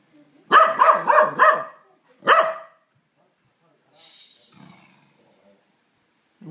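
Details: An angry corgi barks at a vacuum cleaner that is not running: a rapid volley of four loud, ringing, harmonic barks, then a single bark after a pause. Faint human voices and household sounds follow.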